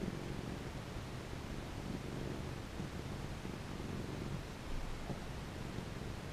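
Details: Happy pet cat purring as it is stroked, a steady low rumble pulsing evenly for several seconds with slight swells in loudness, accompanied by soft rustles and a light background hiss.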